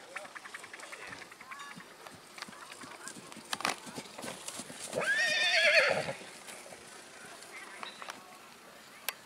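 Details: Black Forest draught horse at the Kohlenbach foal show on 13 August 2022, where the filly Junica Delafee was shown. A shaky, rising-then-falling whinny lasts about a second amid scattered hoof clatter, clicks and background voices.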